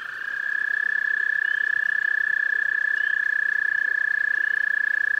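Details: Toads visiting a pond: one long, steady, high-pitched trill, rapid pulses at an even pitch, held unbroken for the whole stretch and starting softly before rising to full strength.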